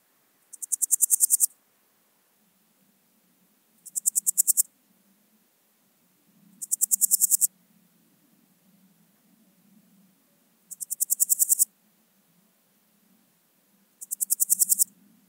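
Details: Swiss gold grasshopper (Podismopsis keisti) at Wildhaus, Switzerland, on 7 October 2022: high, dry rasping bursts of about ten rapid pulses, each lasting under a second, repeated roughly every three seconds, with faint low rumble between.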